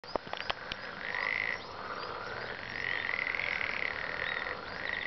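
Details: Frogs calling together, a dense overlapping chorus of rattling croaks in sustained bursts lasting one to two seconds, with a few sharp clicks at the start.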